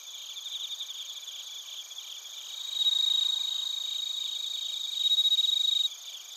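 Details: Crickets and bell crickets chirping in Narita, Chiba Prefecture, Japan, captured with a TASCAM Portacapture X8; a dense high-pitched pulsing chorus runs throughout, with two louder ringing trills rising above it midway and near the end.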